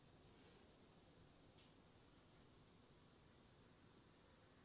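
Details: Short loopable cricket recording without fade: one constant, thin, very high trill sits above an even layer of low hissing background noise.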